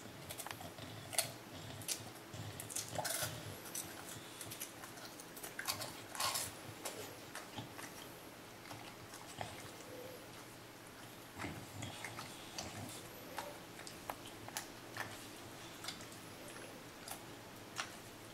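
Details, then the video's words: Teddy, an English Bulldog, eating an ice cream cone indoors, a favorite treat he had not had in months; sharp wet chewing and biting clicks, irregular crunches and smacks, with a few louder bursts near the start. "Teddy the English Bulldog Eating an Ice Cream Cone"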